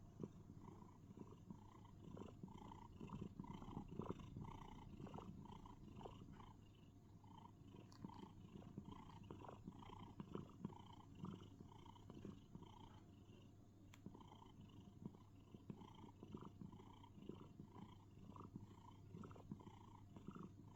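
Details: Domestic cat cuddling inside a box, making cricket-like sounds: quiet steady purring with soft rapid chirring pulses repeated throughout, low rumble underneath.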